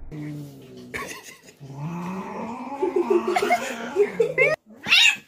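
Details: Domestic cats in a fight: drawn-out, low, wavering yowls that swell and climb into higher, strained wails, broken by a short pause and ending in a sharp, high screech, with human voices and laughter alongside.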